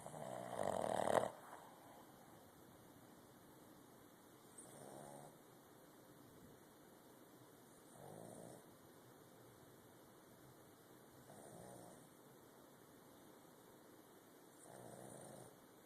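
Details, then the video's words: Snoring puppy, asleep: one louder rasping snort at the start, then soft breathy snores roughly every three seconds, each about a second long, under a constant faint hiss. "Snoring pup"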